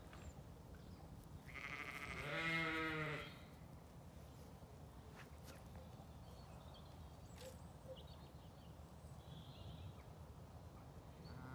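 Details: Zwartbles sheep in a paddock with lambs on a farm in County Kilkenny, Ireland. A single drawn-out, quavering bleat of about a second and a half, then quiet field background with faint distant sounds.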